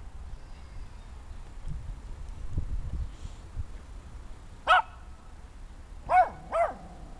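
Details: Small German Spitz puppy, six months old, letting out a single sharp high bark followed a second and a half later by two quick barks in succession, over low household rumble.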